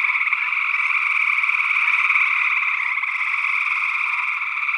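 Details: Northwest Wisconsin gray tree frogs, early June 2022, with a second unidentified frog species also present, recorded in ORTF stereo. Overlapping pulsed trills form a constant rattling chorus at even loudness.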